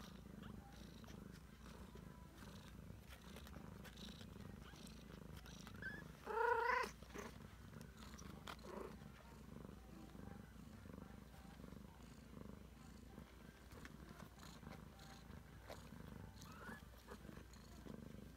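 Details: Ragdoll cat mother with her 3-week-old kittens, steady low rumbling purr throughout, pulsing continuously, broken once near the middle by a short high kitten mew.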